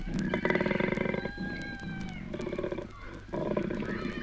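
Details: Koalas courting in Australia, from a 1968 naturalist's wildlife record. Rough, pulsed grunting bellows come in bursts of about a second, with short pauses and a rasping, snore-like texture throughout.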